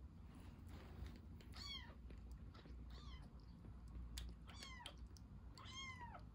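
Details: Rescued baby kitten drinking milk, giving four high, thin meows that rise then fall, spaced about a second apart, over a steady low background hum.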